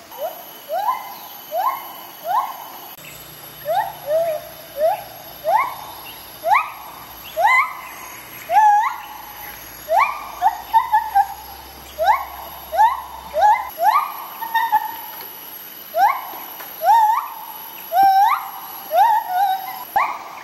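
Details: A pair of white-handed gibbons in rehabilitation sing their morning duet in the jungle. One bird-like female and one male are confiscated rescues. Clear rising whoops repeat about every second and build steadily in pitch and intensity over twenty seconds.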